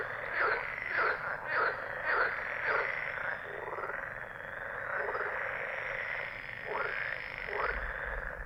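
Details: Frogs croaking in a chorus: throaty croaks repeated about twice a second through the first three seconds, then longer rasping calls that rise and fall over a steady low background hum.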